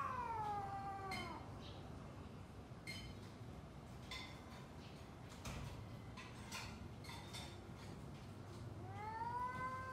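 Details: Domestic cats growling and wailing before a fight; a descending yowl opens, followed by scattered knocks and clatter, then a fresh rising wail at the close, with noisy low background rumble.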